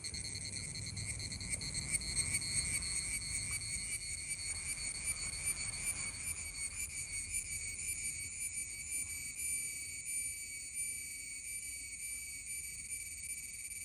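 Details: Summer cicada, male buzzing: a loud, steady, shrill drone held as stacked high bands, with a faint rapid pulsing, continuous throughout with no breaks and light low rumble underneath.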